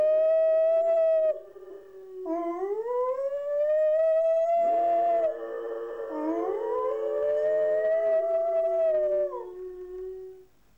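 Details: Two pet dogs, Mouse and Fox, howl at home while their owners are out at the shops, caught on a Hi8 camera left running; two overlapping sustained tonal voices, sliding up and holding long wavering notes, one pitched above the other.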